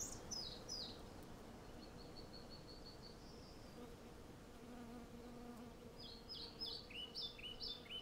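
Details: Western honey bees by the hundreds gather from a flowering cherry tree, recorded on a Zoom F6 with a Sennheiser MKH 8040; a continuous low hum runs throughout while sharp bird chirps open and close the passage.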